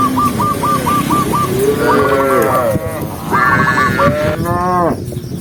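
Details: Tame cows, a herd of tens of thousands walking together across open countryside by day; several deep, harmonic moos overlap, some swelling and falling away, over a steady rumbling herd din.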